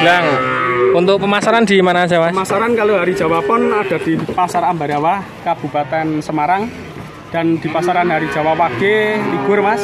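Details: Male calves from a lot of nineteen at Grabag, Magelang, call almost continuously: short, quavering moos stacked on top of each other, broken by brief pauses, with human talk mixed in.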